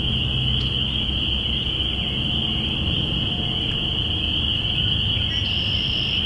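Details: A dense spring peeper (Pseudacris crucifer) chorus recorded April 5, 2017, marking the beginning of spring: high peeps merging into one steady ringing whine over low rumble.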